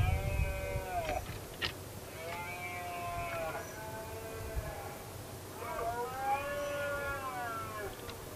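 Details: Red deer stags roaring in the 2016 rut, one male provoking others and a single rival confronting the dominant stag; three arched, harmonic bellows arrive a few seconds apart over steady low wind rumble.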